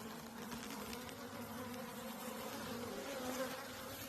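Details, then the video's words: Honeybees newly kept for beekeeping, buzzing steadily around the hive; a dense continuous drone with a low hum band, constant loudness throughout the four seconds. "we got bees now y'all! expect some bee keeping content"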